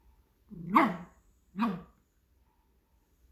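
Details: Pomeranian dog begging for its meal with two short, rounded bark-yelps about a second apart, each bending up then down in pitch, against a quiet indoor background.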